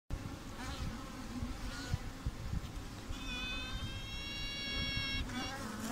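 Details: Honeybee queen piping recorded at a bee laboratory in Oxford: a broad hive hum and buzz dominates, with a steady tonal piping note and stacked harmonics sounding for about two seconds midway, plus faint fainter toots earlier.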